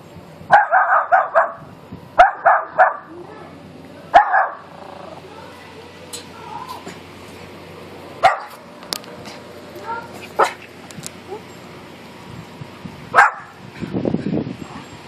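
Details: Miniature Pinscher barking at a neighbor, hair sticking up: bursts of sharp, high barks in quick clusters early on, then scattered single barks and short snappy yips, with a man's voice speaking in Spanish between them.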